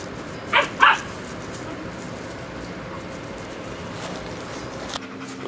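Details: A puppy named Willow playing with Gunner and a few other dog friends; two quick high yipping barks close together near the start, then steady background hum and a faint click.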